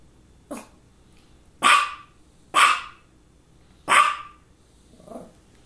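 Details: Female dog barking around two focal seizures, one just before and another shortly after: five sharp barks at uneven intervals, the first and last much fainter than the three loud middle ones, in a quiet room.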